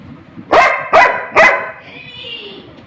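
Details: Labrador Retriever Rimi, a pet, barking while fighting for food; three quick barks in a row about 0.4 seconds apart, followed by a faint high hiss and low background noise.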